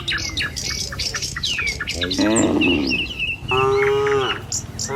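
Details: Tame cattle herded along a village road in the morning, walking to a field to feed: two drawn-out, harmonic moos in the second half, preceded and overlaid by quick high bird chirps and whistles.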